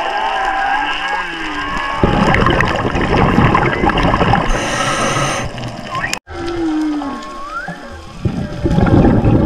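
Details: Whale song heard underwater: tonal moans and sweeping whistles, including a clear rising sweep near the end, set against a dense, crackling, broadband wash with brief loud bursts and one sudden dropout.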